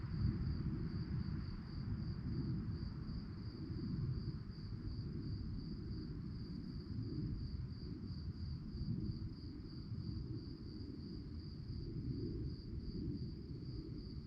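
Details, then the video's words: Crickets at night sustain a thin, high, rhythmically pulsing chirp from start to finish above a dense, low rumbling noise. "relaxing sounds of crickets"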